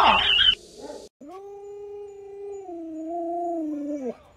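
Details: Luoluo, an Alaskan Malamute kept as a pet, responds to its bedridden owner with one long, pure howl of about three seconds. The pitch holds steady and dips gently near the end. A noisy burst comes before it, and a brief quiet follows.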